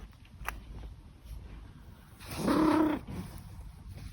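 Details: Old domestic cat trilling indoors: a single short voiced trill lasting about half a second, fairly low and steady in pitch with rich overtones, standing out from a quiet background hum.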